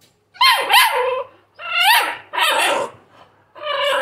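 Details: American Bully pup giving loud, high, wavering whines and yelps in four close bursts, each about half a second to a second long.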